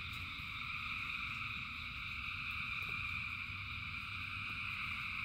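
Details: Rainy night chorus of many frogs, a constant layered ringing trill held at even loudness throughout, backed by soft rumbling rain and scattered drip taps.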